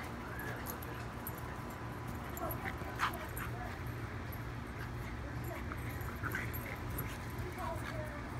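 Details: Two dogs, a French Bulldog puppy named Austin and a Dachshund named Stanley, wrestling and playing: soft whimpers and yips scattered through the clip over a steady low rumbling hum and faint human voices.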